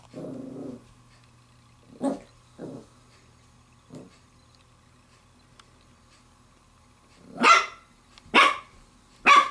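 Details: A female Pembroke Welsh Corgi puppy, 7 weeks 6 days old, playing with a glove, gives a low grumble, then a few soft yips and three loud, sharp barks.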